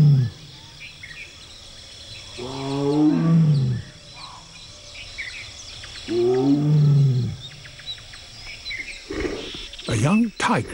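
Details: A male tiger in India gives deep, drawn-out moaning roars, calling for a mate; tiger.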